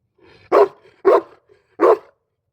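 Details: Boerboel at a kennel giving three loud, gruff, deep barks in quick succession, each short and forceful, with a quiet gap between the second and third and no other sound.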